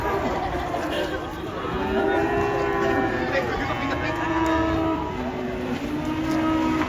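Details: During unloading from a truck, cattle give repeated sustained lowing calls with slightly wavering pitch, set against a rumbling engine and people talking.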